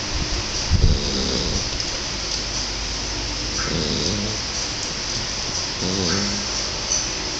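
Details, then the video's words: Shar Pei puppy named King, a pet, snoring while asleep; a few low, harmonic snore bursts around one, four and six seconds over a steady background hiss. "my shar pei "king" snoring"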